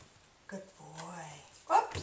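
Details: Remington, a 5½-month-old English Springer Spaniel puppy, is indoors being trained to "speak" on command. A low, drawn-out whine gives way to one short, sharp bark, with a person's voice nearby.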